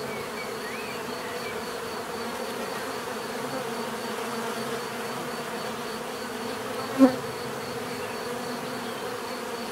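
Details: Steady humming drone of bees, quieter and smoother, with a thin high whine overhead and one sharp click or knock just before the end.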